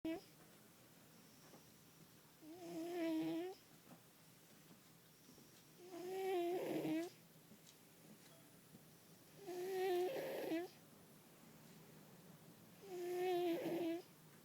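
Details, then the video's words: Fat male house cat snoozing and snoring loudly indoors in a small room; four long rasping, harmonic-rich breaths at roughly three-second intervals, each rising and falling, separated by quiet pauses. "Fat cat snoring loudly!!"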